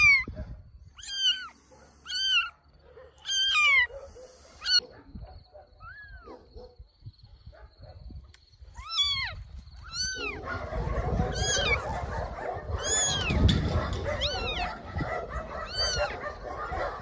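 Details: Rescued baby kittens, left abandoned in grass next to a shelter on a rainy day, give a rapid series of short, high meows. Later the cries turn sparser and are partly masked by steady rustling and rain-like noise.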